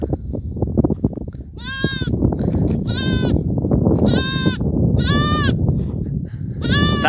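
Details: Goat herds; five loud, wavering, harmonic bleats roughly one second apart, each about half a second long, over a steady low rumbling background.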